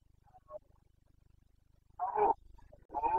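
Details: Red deer, a Carpathian stag in the Bucovina mountains during the 2022 breeding season, giving two hoarse, strained roars close together after quieter grunts, over a steady low mechanical pulsing.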